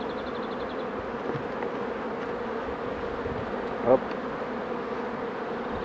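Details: Continuous low, even drone of many honey bees at hives being handled by a beekeeper, with a brief tap near the fourth second and little else over the hum.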